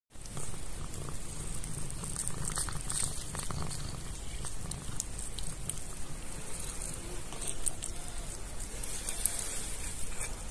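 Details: Calico kitten purring while eating kebab from a hand: a steady low rumbling purr running throughout, with soft licking and chewing clicks on top.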